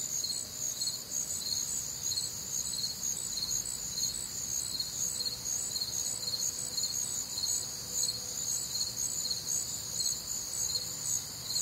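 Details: Midwestern summer night chorus of crickets, warm and humid, bright high chirps pulsing about twice per second without pause, faint low tones now and then beneath.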